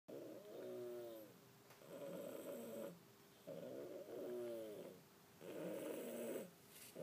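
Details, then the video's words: Pet cat named Fookoo snoring while asleep indoors: slow rasping breaths, each lasting about a second with harmonic bands, alternating inhale and exhale at roughly two-second intervals in a quiet room. "Snoring cat"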